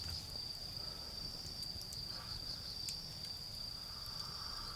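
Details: Autumn insects in a garden beside a campfire, making a steady, shrill, high trill that never pauses, with faint softer buzzing lower down, low rumbling background and light crackle from the fire.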